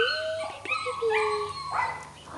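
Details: Chihuahua puppy at a breeding kennel making long, high, drawn-out whining cries with steady tones and slight pitch bends, overlapping one another, with a low hum and a person greeting the dog.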